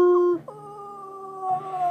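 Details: Dog howling indoors: a steady sustained tone that breaks briefly, then resumes as a long level howl with a slight rise near the end.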